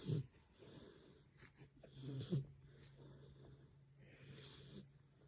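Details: Sleeping puppy snoring softly: low, rumbling breaths with a steady droning tone, interrupted by short snorting puffs roughly every couple of seconds, quiet and close.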